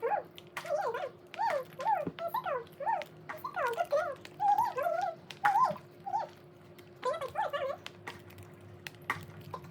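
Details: Pregnant Poodle whimpering while being fed indoors. Thin, high whines rise and fall in quick bursts, many short wavering cries strung together with brief pauses, and a steady low hum in the background.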